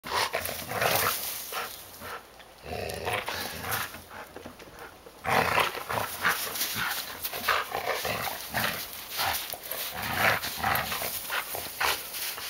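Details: Samoyed, a male dog, playing with his leash in the snow outdoors while his owners sit in a hot tub; rough, noisy growling and grumbling sounds come in dense bursts, with a quieter stretch midway, and a faint steady high hiss throughout.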